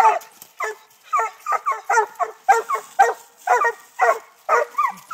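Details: In Texas, six-month-old Treeing Walker Coonhound pups tree a live-trapped raccoon in training, giving a quick regular chain of loud chopping barks, nearly two each second, with a high whine near the end.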